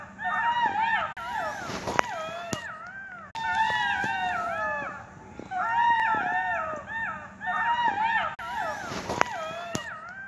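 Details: Several unseen jackals howl together in high, wavering wails broken by yelping, sliding cries, heard but not seen in a brief recording.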